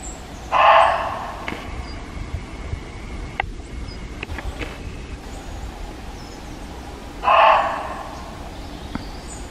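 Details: Loud alarm calls of a diminutive Reeves's muntjac at Hartshill Hayes country park near Nuneaton, central England, 6 October 2017: two short, hoarse barks roughly seven seconds apart, with quiet rustling and clicks between them in an outdoor setting.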